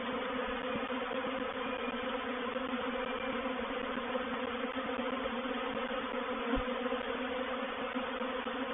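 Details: Honey bees of a reproductive swarm entering a bait hive at Painted Peacock Manor, 04/07/21; a continuous, even, many-winged hum layered in steady bands, with one brief low knock near the end.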